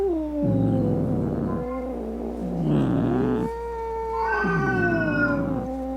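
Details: Cat meowing angrily to frighten rats, opossums and other cats away; three long moaning yowls, each bending down in pitch, separated by harsh guttural growls.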